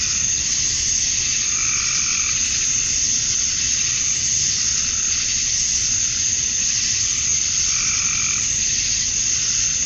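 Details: Male cicadas chirping at summer dusk in Georgia, USA, calling to attract females; a dense, unbroken high buzzing hiss fills the whole clip, with softer lower throbbing swells appearing twice.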